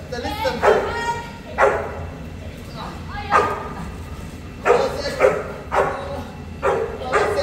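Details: Pair of Boerboels kept in Egypt: single rich, harmonic barks spaced irregularly, roughly one every second, with quieter breathy gaps and a low background hum between them.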